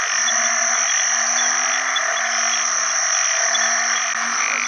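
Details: Banded bullfrogs calling for mates after heavy rain at the start of the rainy season, in water alongside frogs: low, droning, nasal notes over a loud, high insect chorus.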